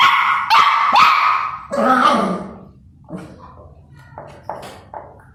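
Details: Two puppies fighting over food, one angry and barking madly at not sharing: three loud, high-pitched yelping barks with strained, harmonic tone in the first two seconds, then quieter short yaps and whimpers trailing off.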